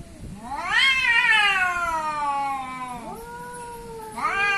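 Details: Cats set against each other as an Asian cat versus an African cat, one loud yowl climbing sharply and then sliding slowly downward for about two seconds, followed by a lower moan and a fresh rising wail.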